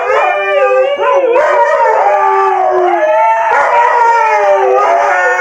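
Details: Siberian Husky giving a loud, sustained howl that bends up and down in pitch, with a short break and yelping inflection near the second mark before resuming in a long, steady, slightly rising tone.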